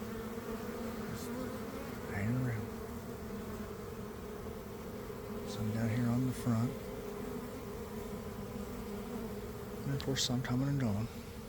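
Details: Honey bees swarming out of a hive in a garden at about one in the afternoon, after cold damp days: a continuous droning hum throughout, broken by short bursts of a man's speech at intervals.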